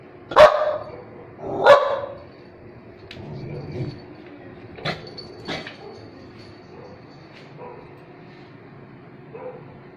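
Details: Dog barking: two loud, sharp barks in the first two seconds, then quieter scattered barks and yips with a faint high whine in the background.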